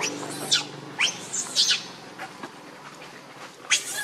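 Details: Monkey Rainbow, very angry while protecting Lucie from Kachoy, gives four or five short, sharp high-pitched squeals spaced about half a second apart, then one more after a pause, over a low background murmur.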